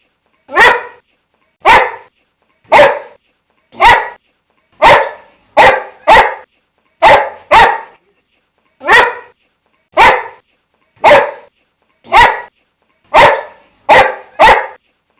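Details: Boxer dog barking: loud, sharp single barks repeated roughly once a second in an uneven rhythm, about fifteen in total, each a broad burst with no other sounds between.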